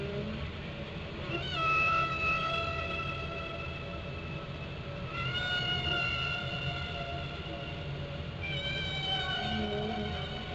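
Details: Whale song from Glacier Bay, Alaska, recorded underwater: three long, steady, rich tones with stacked overtones, each held about two to three seconds with pauses between, over a low continuous hum.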